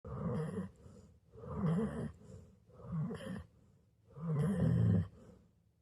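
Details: Sleeping Golden Retriever snoring: four deep, rasping snores, each lasting about a second, with short quiet gaps between breaths. The last snore is the loudest and longest.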